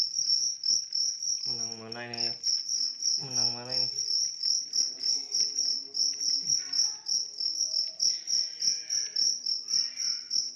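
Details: A large cricket chirping in a steady, rapid stream of high pulses, about three per second, with a deep human voice speaking briefly in the middle.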